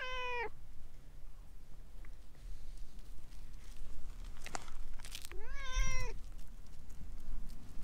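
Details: Chatty orange tabby stray rubbing against someone's legs: a short meow at the start, then a longer level meow after a pause, with scattered clicks and rustling between calls.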